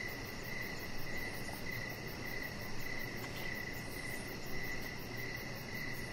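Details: Evening crickets near a deck, their thin high chirps repeating at an even pace of roughly two per second, a fainter rapid trill on top, with a steady broad hiss and low hum beneath.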